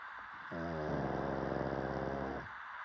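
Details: Pug's snore: a long, buzzy, vibrating inhale lasting about two seconds that starts in a slightly higher tone and then settles into a steady rattling drone.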